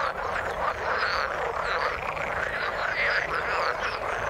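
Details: Frog chorus in the water: a thick, steady blend of croaking calls with faint short whistled notes breaking through here and there, no pauses throughout.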